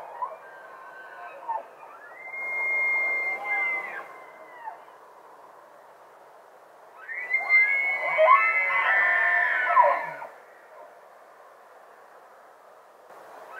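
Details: Bull elk bugling during the rut in Rocky Mountain National Park, wild, live stereo sound: two long shrill whistled bugles, the first steady for about two seconds, the second louder and harsher with grunting overtones for about three seconds, quiet between.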